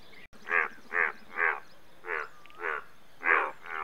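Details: Croaks of an Indian bullfrog: a regular run of six or seven rasping, honk-like notes about half a second apart, even in loudness, after a brief dropout at the start, with a low background drone.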